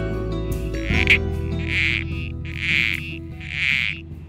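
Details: Captive male Critically Endangered Southern Corroboree Frogs in breeding tanks during breeding season give short, grating squelch calls, repeated about once a second, drawing females to their nesting burrows.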